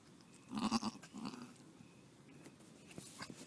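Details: Newborn pygmy goat kid beside a child: a soft, quavering bleat lasting under half a second, followed by a fainter second bleat, then quiet rustling and low background noise.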